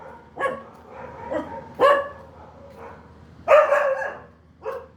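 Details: Dog letting out short yips and barks, about six in five seconds, one louder drawn-out bark near the middle, over a faint low background hum.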